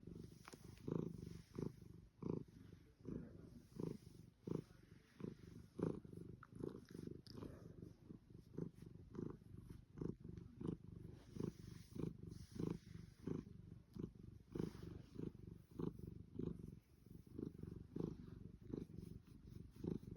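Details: A Savannah cat purrs deeply and steadily in ecstasy during a long petting session, the low rumble pulsing with each breath.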